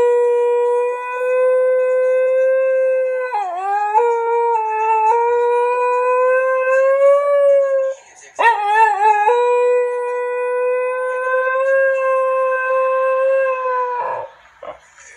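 A Basenji yodels in long, steady, ringing tones broken by quick wavering yips.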